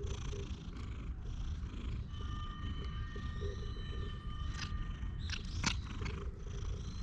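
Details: Purring from a stray cat lying on a lap on a park bench while being stroked: an even rough drone low in pitch, with sharp clicks near the end and faint birdsong and held high tones.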